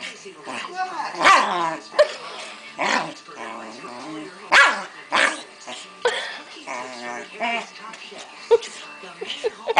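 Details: Female Keeshond Pancake, a household pet in a hissy fit, lets out irregular loud barks and harmonic yowls spaced a second or two apart, with human voices chatting between them.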